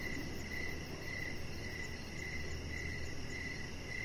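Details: Crickets chirp in the evening beside a deck where a Chihuahua puppy named Rocket lies. Evenly spaced mid-pitched chirps repeat about twice a second, with a fine high trill above, over a steady low rumble.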